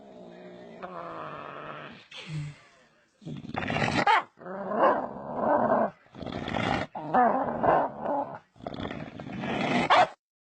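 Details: Playful pet dog imitating pig noises, a series of rough, growly grunts and squeals about a second long, alternating with sharp noisy snorting bursts, repeated across the recording.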